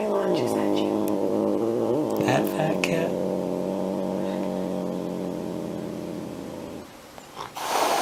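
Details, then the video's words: Angry domestic cat making a long, steady, throaty growling yowl that holds a low pitch for about seven seconds, broken by short hissy spits near the start and end. "Very Angry Cats Video - Angry Cats Meowing"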